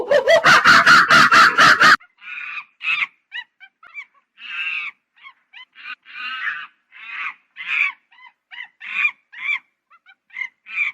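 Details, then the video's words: Monkey opening with a loud two-second burst of rapid, harsh pulsed screeching. Irregular short chirps and nasal honking notes follow, scattered at uneven intervals. "Monkey Funny Sound"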